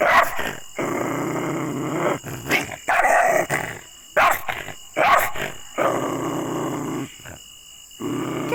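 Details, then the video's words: Aggressive dog growling in long rough rumbling stretches, broken by sharp loud barks and snarls, repeated in bursts about every second or two, with brief gaps of near silence between outbursts. "ANGRY Dogs Barking Sound Effects (Aggressive Dogs Barking)"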